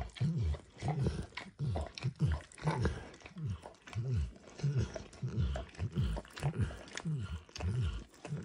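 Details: Max the dog licking a bumpy orange mat coated with eggs or diluted peanut oil: rhythmic, deep wet laps repeating about every 0.6 seconds, very even and steady, in a small quiet room.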